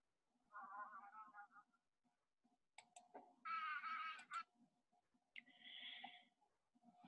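Brief, intense buzzes from a bumble bee, each a second or less, sound higher and harsher than its flight hum. This sonication vibrates flowers to release their pollen, with a faint steady tone and room echo behind.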